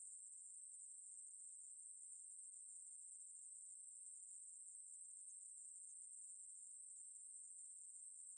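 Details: Unbroken high-pitched hissing trill of a Ruspolia katydid, flat and continuous throughout, with no other sounds.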